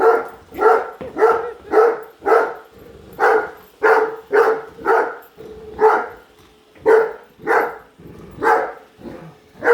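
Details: Barking Great Dane named Padme chasing a Roomba she dislikes; steady run of loud, deep-chested barks, about one every half second to second, with a faint steady hum beneath.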